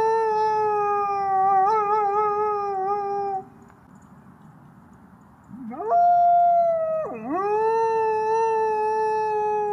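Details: Two drawn-out gray wolf howls: the first a long, level, faintly wavering tone that breaks off, then silence before a second rises sharply, dips and settles into a smooth sustained note.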